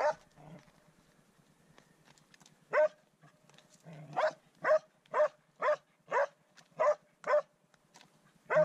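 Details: Swix the dog baying at his first wild boar, a steady run of sharp, mid-pitched barks about every half second after a few scattered early yelps, with a faint low grunting underneath.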